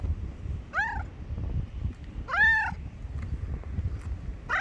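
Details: A grey cat calls with loud, clear meows, one at about one second and a longer bowed one near two and a half seconds, then another starting at the end, over low background noise.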